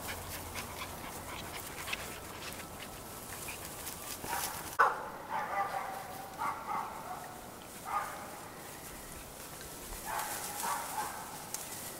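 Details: Cairn Terrier puppies at a kennel in Escaudes, France, after a sharp knock: a series of short, high yelps and whines, five or so bursts spread over eight seconds, against a soft steady hiss.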